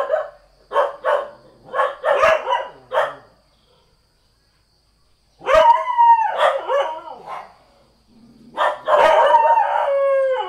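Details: Village house dog barking: a burst of short sharp barks, a pause, then longer strained, howl-like barks and yelps near the end.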